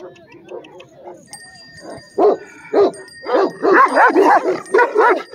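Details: Heavy-bodied red Afghan Kochi and Bully mix dog barking loudly: after quiet voices and a thin steady tone, two spaced deep barks, then a rapid run of about six barks to the end.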